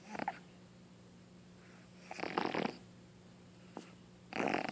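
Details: A female Boston Terrier puppy gives short, harsh, hacking coughs in bursts a couple of seconds apart, sounding like mucus or phlegm in her throat; the owner worries she is sick.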